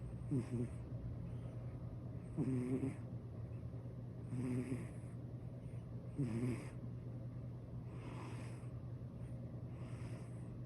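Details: Elderly calico cat sound asleep and snoring, each breath a raspy, rumbling snore with a short buzzy catch, repeating about every two seconds, over a steady low electrical-sounding hum.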